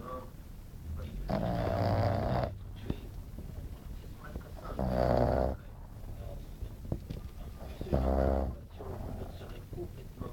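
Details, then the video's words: Napping French Bulldog Glamy snoring too noisily; three drawn-out rattling snores spaced about three seconds apart, with faint clicks and soft background sounds between them. "Glamy bouledogue français qui ronfle"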